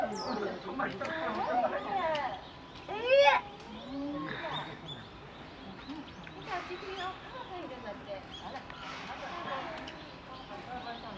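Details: Young chimpanzees squabble at Higashiyama Zoo, Nagoya, on 10 December 2021, with shrill, wavering quarrel screams and squeals while an adult female tries to mediate. People talk in the background.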